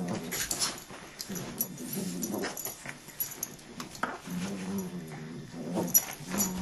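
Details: Fighting dog giving sustained low growls in repeated drawn-out rumbles, interrupted by sharp scuffling clicks and thumps in a small indoor room.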